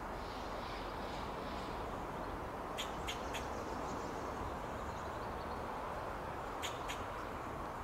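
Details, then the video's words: Eastern fox squirrel on an oak tree in Del Monte Forest, California, sounding alarm: a quick run of three abrupt clicking barks, then a pair of similar barks after a pause, over constant background noise. "Alarm Calls of Fox Squirrel"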